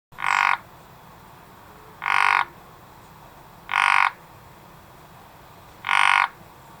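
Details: Frog calling in a garden: loud rasping croaks, each about half a second long, spaced roughly every two seconds, four calls in all, with steady faint background hiss.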